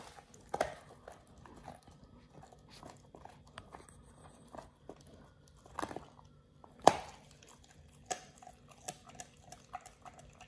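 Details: Oliang the Pit Bull eats a raw ostrich paw, his first, as a teeth-polishing, jaw-exercise snack. Sparse crunches and sharp bone snaps are separated by quiet gaps, with one loud crack near the middle, in a small quiet room.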